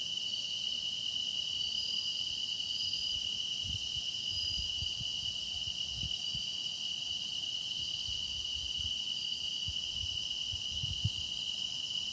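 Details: Steady chorus of singing grass insects: an even, shrill tone that never breaks, overlaid by fainter high trills that swell briefly, over a quiet low rumble.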